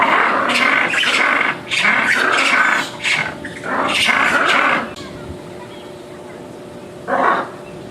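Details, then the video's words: Lemurs making noise: rough, raspy bursts repeated in quick runs for about five seconds, a pause, then one last harsh outburst, over a steady background hum. "Big Lemurs Making Noise calls"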